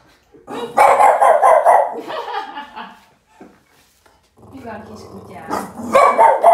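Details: Angry Boston terrier barking at a trash can: a quick run of harsh, grumbling barks, a pause with a soft low hum, then more rough barks near the end.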